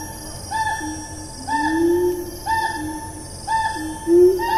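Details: Siamang in rainforest at Taman Negara National Park, Malaysia, recorded 4 April 2019: low rising whoops repeat about once a second, each paired with a higher note, over a steady high insect drone.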